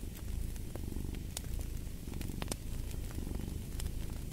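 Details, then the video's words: A cat's close, deep purr dominates, throbbing in rhythmic pulses with a rise on each breath, while a few bright fireplace crackles break through. "Fall asleep to the Purring of a Cat & Fireplace"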